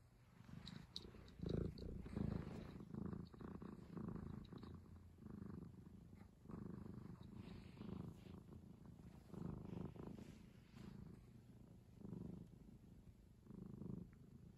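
A tiger gives a deep, rumbling purr in steady pulses, rising and falling with each breath.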